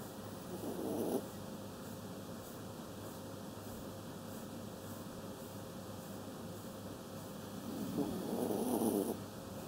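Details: Kaninchen Dachshund dog snoring while asleep: two low, breathy rasping snores about seven seconds apart, over a steady background hiss.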